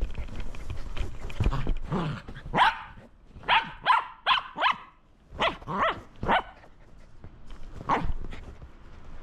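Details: Shetland Sheepdog at play with a lint roller, giving a run of about eight sharp barks, some in quick pairs, after a stretch of rustling and people talking in the room.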